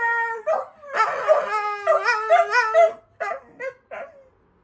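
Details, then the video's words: Dogs howling in response to a fire engine siren; a sustained steady howl opens, then several voices join in wavering, undulating howls before tailing off into short broken yips and whimpers. "Dogs howling at the fire engine"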